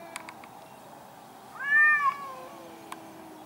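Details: Angry cats fighting outdoors in a garden: a brief arched yowl rises and falls, flanked by a faint low drawn-out moan and a few soft clicks.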